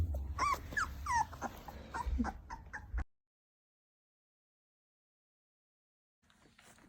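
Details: Labrador Retriever puppies, 20 days old, crying: about three seconds of sharp, bending whines and yips over low rumbling handling noise, then silence before faint noise returns.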